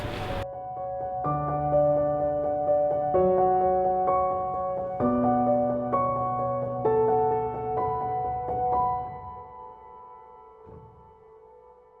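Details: Gentle piano music plays throughout, with sustained notes fading toward the end and no animal sounds.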